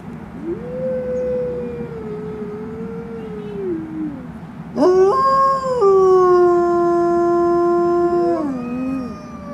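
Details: Wolves howling in the afternoon at the Como Park zoo in Saint Paul, Minnesota: one long smooth howl rises, holds and slides down, then several louder overlapping howls join at different pitches, held steady before falling away together.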